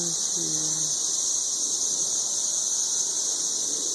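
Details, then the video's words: High, continuous screaming drone from masses of 13-year periodical cicadas mating in treetops around Nashville, Tennessee; a man's brief low voice opens, then only the steady insect whine remains. "Ridiculously loud 13-year cicadas"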